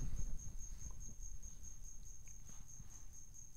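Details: Cricket chirping somewhere inside a room in Asunción, Paraguay, hidden and not found despite several searches; a thin, very high, steady trill with faint regular pulsing runs throughout over low background rumble and handling noise.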